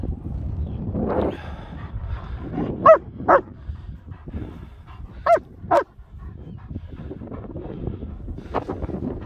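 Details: Two German Shepherds, Nico and Zeeva, enjoying the hills around Hawick; two pairs of short, high yelps a few seconds apart over low wind rumble.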